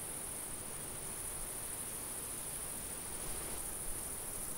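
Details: Crickets in a summer field: a steady, unbroken high-pitched shimmering drone with no pauses, over a low rumble of light wind.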